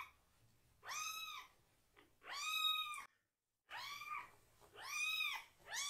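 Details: Upset foster kitten crying loudly during a bottom wash, one of two rescued siblings washed below the waist; four clear, arching meows, rich in harmonics, come in quick succession, with a brief silent gap midway.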